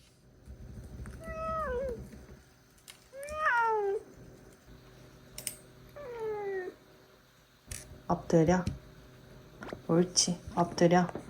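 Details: Sobbang, a sulking male British Shorthair cat, gives three drawn-out, falling meows a couple of seconds apart, followed by a person talking softly.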